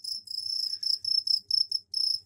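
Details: Captive male crickets chirp loudly to draw females, loud enough to be heard through a closed door. One long, piercing high trill gives way to a run of rapid, evenly spaced chirping bursts.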